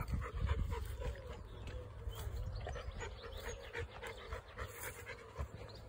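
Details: Chocolate Labrador Retriever panting during a daily walking adventure across grassy Fox Field near Rugby; fast, airy breaths repeat steadily over heavy low wind buffeting and soft footsteps through the grass.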